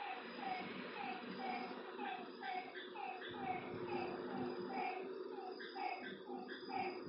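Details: Night-time lakeside frog chorus: many short, slightly falling notes repeated quickly and overlapping from several callers, over a steady low background hum.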